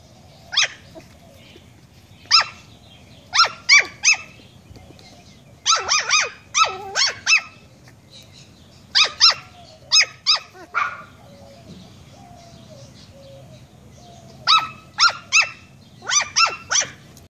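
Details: Young pet dog barking at a fish head in repeated bursts: shrill, clipped yaps, often in quick pairs or triplets, with brief pauses between volleys across the whole stretch; faint low-frequency background noise underneath.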